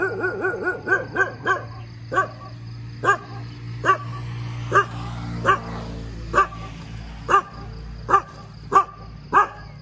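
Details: A dog barks persistently in the morning, opening with a quick rapid burst of yaps, then settling into evenly spaced single barks roughly every 0.7 seconds against a low droning background.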